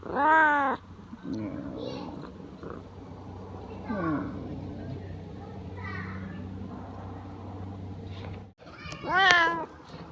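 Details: Just-awakened Siamese cat, described as very lazy, opens with a loud, arching meow, makes quieter mewing and murmuring sounds in between, then closes with another strong, bright meow; steady low hum beneath.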